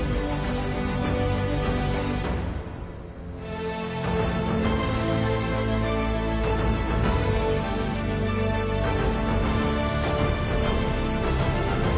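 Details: Loud, continuous theme music fills the whole stretch, briefly dipping near the third second, with no animal voice audible.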